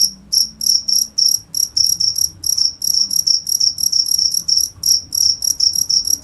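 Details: Shrill cricket chirping: bright, high trilled pulses coming in uneven runs of about three per second, with quiet low-frequency room noise beneath.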